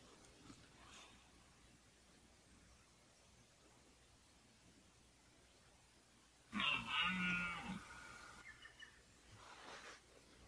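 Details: Red deer stag in the 2014 rut, from encounters mostly with the same 14-point stag. A quiet background breaks into one short, harsh roar of about two seconds with rich upper harmonics, then a fainter echoing tail.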